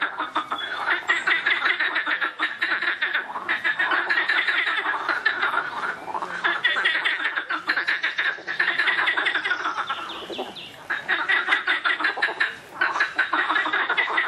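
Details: Loud frogs in a thick chorus: many overlapping rattling croaks in fast pulsed runs, one dip near the tenth second before the calling swells again.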